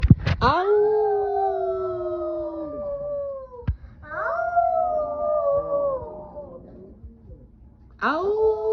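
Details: Roofie the dog howling: long, smooth, wavering tones that slide slowly downward, each held for two to three seconds, broken by a sharp click near the middle and ending with a fresh rising howl.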